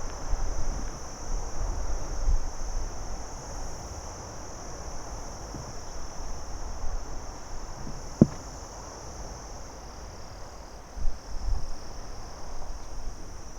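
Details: Steady high trill of crickets during the day over faint low rumble, with a sharp click midway and a couple of small knocks near the end.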